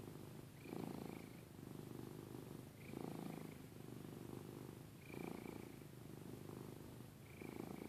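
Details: Giada, a domestic cat, snoring softly indoors: rhythmic, low, purring breaths repeating about every two seconds, each ending with a faint higher whistling note.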